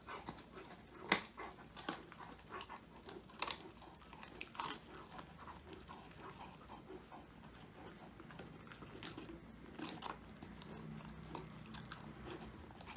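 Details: Woody, a male Old English Sheepdog born 22 January 2019, crunching a whole quail as a handmade treat, his first treat, recorded on a phone indoors; sharp, irregular crackling bites and wet chewing with brief loud cracks.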